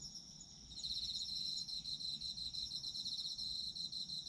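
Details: Chorus of autumn insects, recorded for sleep listening: thin high chirps at first, then a bright, fast-pulsing trill sets in under a second later and carries on evenly to the end.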